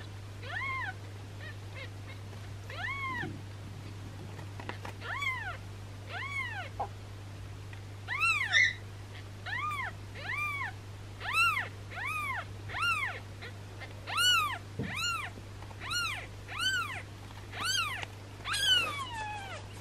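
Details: Swollen-bellied newborn kitten crying while being massaged for suspected gas; a long series of thin, arched mews, about one every second, growing louder and more insistent toward the end, over a constant low hum.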